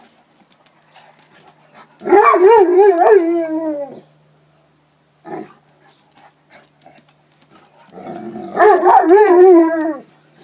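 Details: Leonberger dogs going for a swim: two long, wavering, high whining cries of about two seconds each, rising and falling in pitch, separated by a short yelp and quiet gaps.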